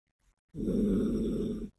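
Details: Sleeping female Yorkshire Terrier named Biske lets out a single loud, low rumbling snore of a little over a second, a steady rough exhale that starts and stops abruptly against an otherwise quiet indoor background.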